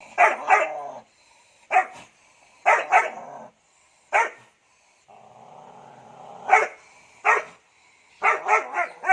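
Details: Guard dog barking in bright, sharp barks, singly and in quick pairs and a triple burst at the end, with a brief murmur of noise between them.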